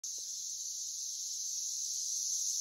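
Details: Brood X periodical cicadas swarming around a tree, a steady high, hissing screech holding unbroken and growing slightly louder, with a faint rustle near the start.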